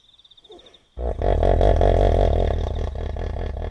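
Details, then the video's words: Wild hippopotamus calling at night by a river in the African bush, Kafue National Park, Zambia: after a faint high insect trill, a loud, deep, throbbing bellowing grunt with rapid pulses holds for nearly three seconds. "Hippo Sounds & Calls - The sound of wild hippopotamus at night in Africa"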